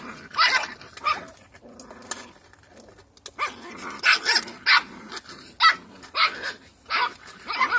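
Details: Cocker Spaniel puppies just under eight weeks old, recorded 31 August 2021, give high, sharp yaps and squeaky barks in quick bursts.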